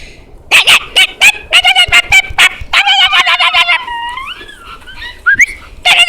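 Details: A puppy eager to play, a dog that followed someone into their house, makes a string of loud, piercing, clipped yaps. The yaps are then drawn out into squeaky whines that rise and bend before a final burst of yaps.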